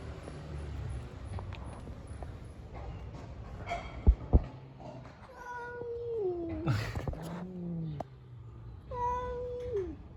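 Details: Stray street cats, seemingly unwilling to share, trade long, nasal yowls in a fight, each cry wavering then sliding into a throaty moan, with low rumbling growls and a couple of sharp knocks between calls.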